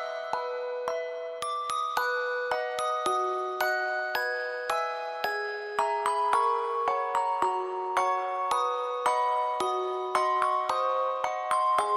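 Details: Gentle music-box melody of glockenspiel-like chimes, notes struck about once a second over a soft sustained backing, with no animal voice.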